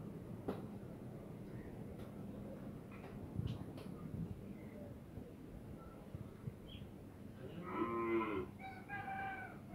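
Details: Dairy cows kept on a farm in Pabna that raises improved local and foreign breeds of cows and heifer calves; after low farm rumble and scattered knocks, one rich, harmonic moo swells briefly near the end, followed by a fainter second call.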